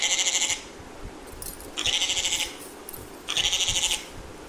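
Three brief bleats from a goat come in quick succession, each lasting just over half a second. The voice is thin and tremulous, wobbling rapidly through each call, with short pauses between them.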